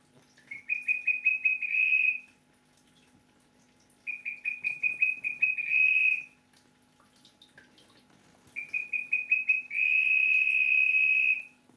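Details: Male Melanophryniscus klappenbachi whistling in the rainy season: three bouts of a clear high whistle, each opening with a run of quick separate pulses and then merging into a steady trill lasting about a second, with pauses of roughly two seconds between bouts.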